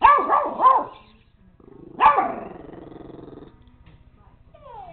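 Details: Young pet dog called JJ yapping at a toy robot dog; a rapid triple bark opens, then a single bark trailing into a soft whine, with a buzzing hum and a brief electronic chirp afterwards.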